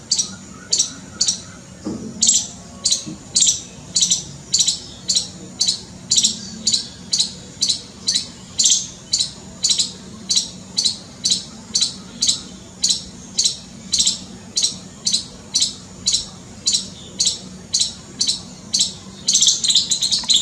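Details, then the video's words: A scared squirrel gives sharp, high chips in a steady run of about two per second across twenty seconds, each note short and piercing, with a brief pause near the start and no other clear sounds. "Scared SQUIRREL making noise | squirrel's calling"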